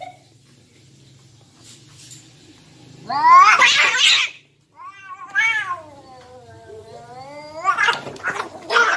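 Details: Two domestic cats, said to be brothers, fighting: loud rising then falling harmonic yowls with a hissing burst, a long wavering wail that slowly drops in pitch, then a harsh screech at the end.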